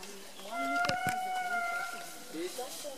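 An indri gives a long, steady, slightly falling wail with a clear tonal ring.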